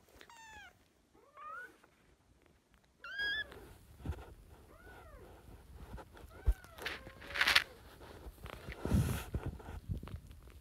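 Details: Several kittens from a group of sister kittens fostered in spring 2017 meow in a busy series of short, arching, high-pitched cries, with scuffling, bumps and indoor movement sounds in the second half.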